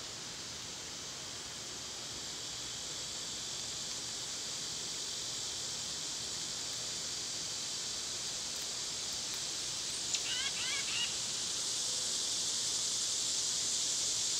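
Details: In summer, cicadas keep up a long, steady, high-pitched droning buzz; around two-thirds of the way through a bird gives a quick run of sharp chirps, and the cicada drone then grows louder.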